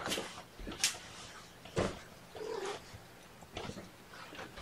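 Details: Young kittens lapped up during their first morning feeding of syringe formula indoors; a few short, thin mews stand out between breathy snuffles and soft handling noises.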